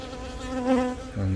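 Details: Honey bees buzzing inside a hive as a virgin queen, newly born from a natural swarm, begins laying eggs; Yongin Baegam, Korea, 20 April, recorded on a Galaxy Note 10. Steady low droning hum with layered overtones, swelling briefly mid-clip, then a deeper hum.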